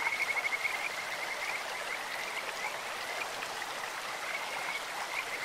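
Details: Kajika frog calling in a clear stream: a fast, high, pulsed whistling trill for almost a second, then fainter trailing notes, over a steady wash of rushing water.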